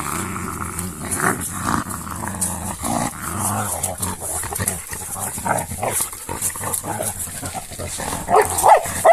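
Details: Two female Sarplaninac dogs play-fighting roughly, giving low, rumbling growls mixed with scuffling and short bark-like bursts throughout, with a few sharper higher yelps near the end.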